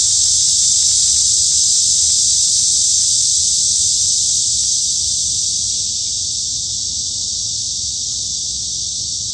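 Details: High summer at Hanbat Arboretum in Daejeon, Korea, where a forest chorus of cicadas produces a constant, piercing buzz that fades a little toward the end.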